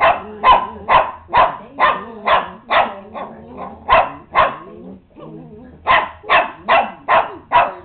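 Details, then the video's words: Upset domestic dog giving a rapid series of loud harmonic barks, roughly two per second, with a short pause midway before the barking resumes; faint low hum in the background. "Barking - Cody is getting upset here!"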